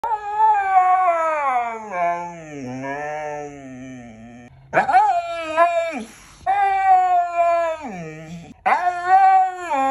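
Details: Siberian Husky, a pet dog, giving long harmonic howls: a gliding, wavering tone that falls low, then two loud rising-falling howls in quick succession with a short final yelp, no other sounds.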